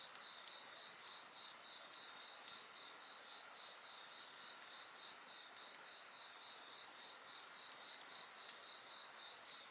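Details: Constant shrill insect song with a quick rhythmic pulsing trill and higher steady whining bands, accompanied by light crackling from a bonfire.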